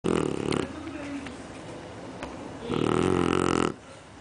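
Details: Female Shar Pei in deep sleep, snoring like an adult: two rough, rasping snore bursts about two and a half seconds apart, each lasting around a second, with softer breathing noise between them indoors.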